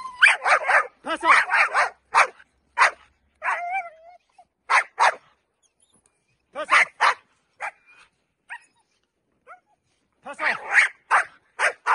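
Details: Dutch Shepherd during training, giving bursts of sharp, loud barks in rapid clusters, some delivered in quick runs and others spaced by short pauses, with a few thin whining tones mixed between them.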